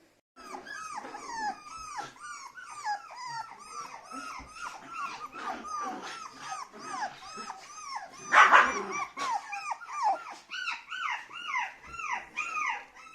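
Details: Several puppies for sale in India whimpering and yipping together, a dense overlapping chorus of high, arching whines that swell in loudness toward the end, with one brief louder burst midway.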